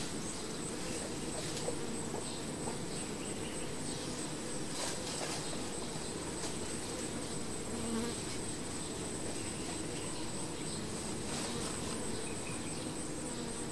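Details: Honey bees at their hive: a steady, dense droning hum sits low and unbroken for the whole stretch, with a thin high whine running on top and faint scattered ticks above.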